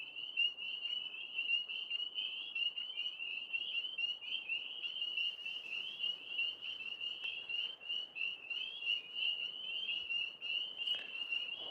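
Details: Night chorus of many tree frogs perched up in a big maple tree, a steady high-pitched pulsing trill from overlapping callers, with a brief sharp click near the end.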